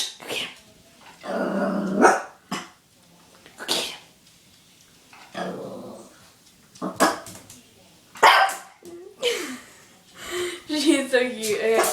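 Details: Sophie, a puppy, barks at her mirror reflection in repeated bursts of rough barks mixed with growly grumbles. Excited human speech and laughter break in among the barks.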